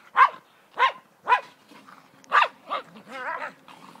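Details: Welsh Terrier Bodri, head caught in a bucket after drinking on a sand pile: four clipped, hollow barks about half a second apart, then a wavering high whine that slides up and down.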